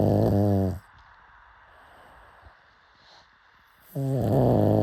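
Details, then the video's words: Pug asleep and snoring, with a short grating snore, a long hush with faint breathing, then another rough, rumbling snore starting up. "Why Do People LOVE Pug Snoring So Much?"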